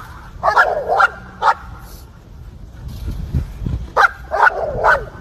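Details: Dog chasing squirrels gives loud, harsh barks in quick clusters of two or three, with a short pause in the middle and low rumbling noise.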